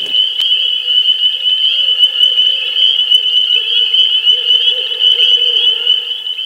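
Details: Spring peeper (Pseudacris crucifer) chorus in Northern Virginia in early spring (March–April): hundreds or thousands gathered in swamps or wetlands give countless high piping peeps blending into one continuous ringing wall of sound.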